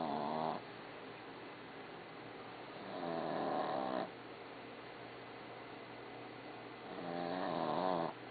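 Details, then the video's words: Snoring dog named Barbie: three drawn-out raspy snores, each around a second long with layered harmonic bands, recurring every three to four seconds over a quiet indoor hum. "Snoring Dog"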